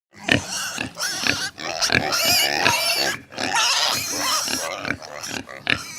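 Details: Hungry piglets squealing and grunting in a dense, loud chorus of overlapping high, harsh, wavering cries with short breaks between bursts.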